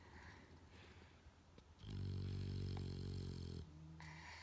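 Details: A sound-asleep female English Bulldog, resting her head on a person like a pillow, snores with a deep, rumbling, rattling breath that swells loudly and then fades.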